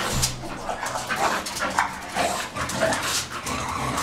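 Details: Two English Bulldog x Bull Terrier cross dogs playing together, producing rough growls, snorts and short whimpers in quick irregular bursts, with scuffling noise throughout.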